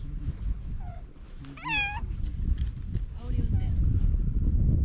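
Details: Stray cats crowd together on a breakwater while a ferry is awaited; one cat gives a clear, rising-then-falling meow lasting under half a second, with people talking nearby, a few softer mews, and steady low wind rumble.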